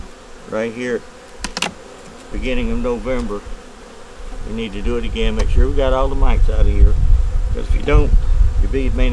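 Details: Honey bees from a nuc colony working to make it through winter, during a hive inspection with a yellow queen, eggs and brood in the top; repeated droning buzzes of bees flying past, rising and falling in pitch, over low rumbling handling noise.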